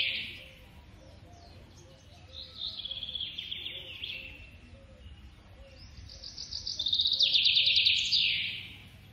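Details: Squirrel baby during feeding, producing two long runs of sharp, high-pitched trilled squeaks, the second louder and faster, separated by a quieter pause.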